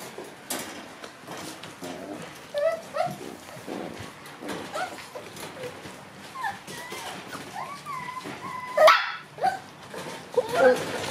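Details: Black Shiba Inu puppies, four littermates born October 15, on their second day out in the room and newly able to move around. High, thin whines bend up and down in scattered bursts, with a few short yips and soft indoor rustling.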